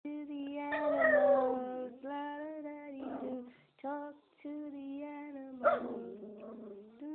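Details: Miniature Schnauzer dog singing: long sustained, tonal howls held steady at one pitch, with a few higher wavering rises and short breaks between phrases, recorded indoors in quiet surroundings.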